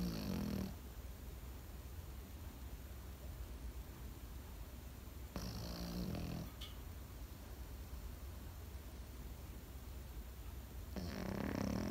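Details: A sleeping Pekingese dog gives three raspy, snorting snores about five seconds apart, each a short rough burst of breath, with faint low breathing and a constant low hum filling the gaps.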